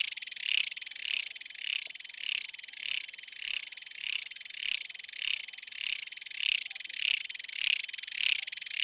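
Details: A cicada, known in Nepali as jhyaukiri, sings a shrill, high buzz swelling and fading about twice a second in dense forest; its song is believed to announce that sunset is near.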